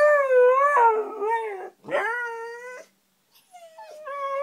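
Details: Two Siberian huskies howl in long, wavering, harmonic tones that rise and fall, set off by hearing a car alarm.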